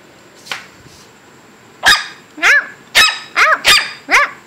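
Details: Shih Tzu puppies almost 8 weeks old giving short, high yelps. Each one arches up and then drops. About six come in quick, uneven succession within two and a half seconds, after a faint squeak near the start, in a quiet room.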